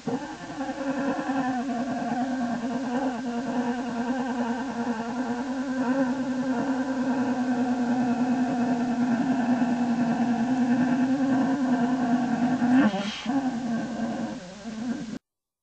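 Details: In Lily's den on January 27, 2012, a black bear cub, probably Faith, runs her happy motor: a steady, droning, motor-like hum that pulses rapidly and continuously, breaking briefly near the end before resuming more softly.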